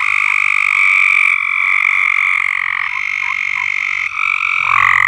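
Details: Frogs singing together on a farm, an unbroken buzzy trilling chorus with faint individual croaks rising within it and a louder caller near the end.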